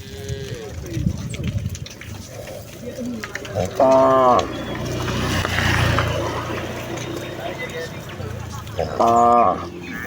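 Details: Cows and calves of a village herd returning to their barn: two short, higher moos about five seconds apart over a busy background of footsteps, rumbling and faint voices.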